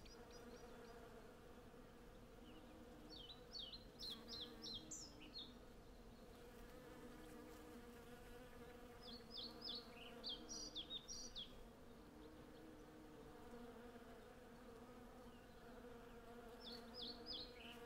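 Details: Hundreds of western honey bees gathering honey in a blossoming cherry tree, recorded on a Zoom F6 and Sennheiser MKH 8040. A rich, layered droning hum fills the whole stretch, while brief clusters of high bird chirps sound at intervals.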